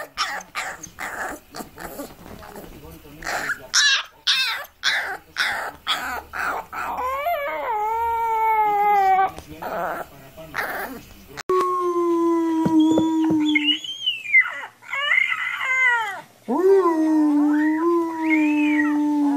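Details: Puppy learning to howl: rapid human chatter and laughter at first, then long, falling tonal howls rich in overtones, followed by a lower, steadier howl and a few rising, yelping cries.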